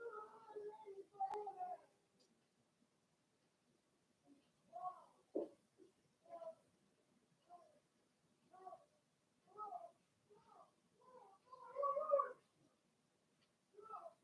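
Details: Six Blenheim Cavalier King Charles Spaniel puppies, two female and four male, from Remy's first litter born March 7–8, in an indoor puppy pen during potty training; short whiny yelps come in irregular bursts with quiet gaps.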